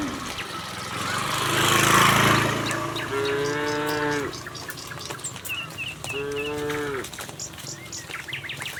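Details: Moos from a tame cattle herd walking calmly from the neighbouring village toward their pen: one long, loud, broad moo, then two shorter harmonic moos of about a second each, sagging at the end, with faint high chirps in between.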